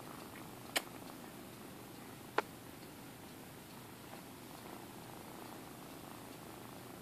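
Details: A soft continuous purr from Minkie, a kitten rescued by High Plateau Humane Society in Alturas, California, filmed indoors; two sharp clicks break the steady low rumble early on.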